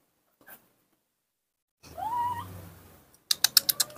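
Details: Baby monkey named Nomi, playing alone in the dirt of a front yard, gives a short wavering squeal with a rising then falling pitch, followed by a rapid run of sharp clicking taps.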